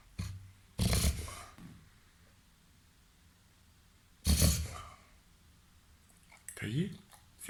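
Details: Reverse sneezing by a 21-month-old, 30 kg pet Labrador crossed with golden retriever and Weimaraner, inside a room: two loud rasping snort-like inhalations about three seconds apart, followed by a softer, more tonal wheezing sound near the end.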